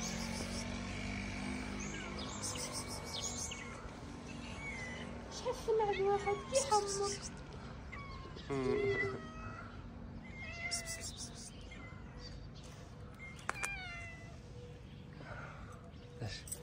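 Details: Stray cats, a calico among them, being fed in a garden in Morocco. Several short meows rise and fall around the middle, mixed with a person's morning greetings and coaxing calls, plus one sharp high click.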